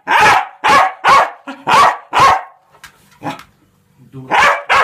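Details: Irish Terrier barking in loud, sharp, broadband barks, about five in quick succession, then a pause with softer short yips and a final pair of barks.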